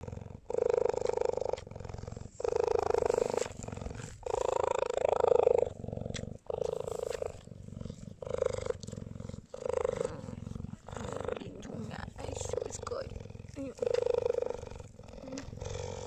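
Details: A cheetah in South Africa purrs in loud, rumbling bursts that pulse steadily with each breath while its owner kisses and pets it.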